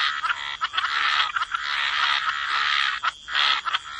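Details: Frogs croaking by the water in a wetland, a dense chorus of rasping, buzzy croaks that overlap almost without pause, with a few brief gaps and a steady high thin tone running underneath.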